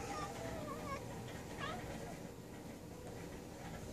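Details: A pet cat named Thor talks while hunting flying bugs, giving a few soft, short chirps in the first half and another brief chirp around midway, then quiet, over a steady background hum.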